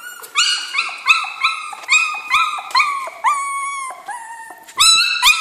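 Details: In a kennel, Jack Russell Terrier puppies cry with rapid, shrill, harmonic yelps, roughly three a second, some ending in downward slides. A brief pause precedes a final loud burst of whines.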